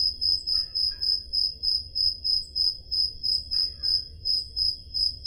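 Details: Crickets chirping on a summer night in Peloponnese, Greece, recorded on a Zoom H5 portable recorder: a steady high pulsing trill, about three chirps each second, with faint low rumble beneath and a brief soft chirp from another insect.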